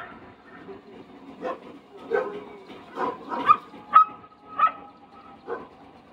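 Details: Dog barking at a horse, the barks sparser and spaced roughly half a second to a second apart, several with a ringing higher tone, over a low murmur of background noise.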